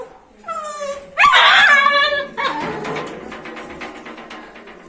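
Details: Angry dog or puppy gives a high whine, then one loud yelping bark that trails into a fading, rough whimper.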